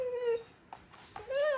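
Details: Husky Mati indoors at home: a short level howl fades out, a few soft voiced bursts follow, then a second howl rises slightly in pitch. Owner's voice calling the dog is close by.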